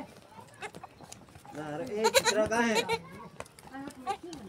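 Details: Young goat kid feeding on milk lets out one drawn-out, trembling bleat lasting over a second in the middle, with short voice-like sounds and chatter around it.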